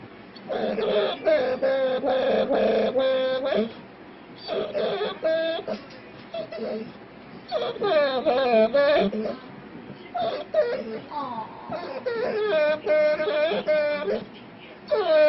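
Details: A dog on a blanket, being teased, makes weird drawn-out, wavering whines and moans that slide up and down in pitch, in bursts.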